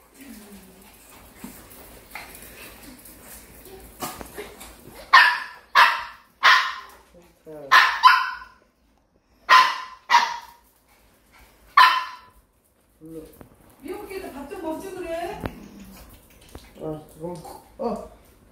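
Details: Maltese dogs at home, a household with a male, a female and their daughter, excited as an older family member returns on leave: a run of about eight loud, sharp barks, then soft whines mixed with people talking.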